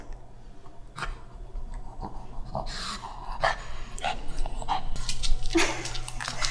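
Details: Jjanga, a black Shih Tzu kept as a pet, refusing to wear newly ordered clothes indoors in cold winter; soft, irregular whimpers and breathy snuffles over a low room hum, with rustling growing louder in the second half.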